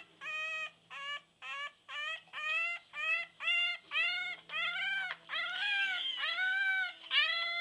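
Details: Female English Bulldog puppy howling while held in someone's arms, also rolling her tongue; about a dozen short, bent, rising-then-falling whiny notes in quick succession, later ones longer, louder and running together.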